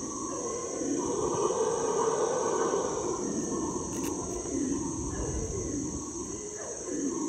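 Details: Howler monkeys in the hot, humid Ecuadorian Amazon, heard from a canoe, give a deep, rolling, breathy roar that swells and fades over a steady insect hum; their howls carry up to a mile.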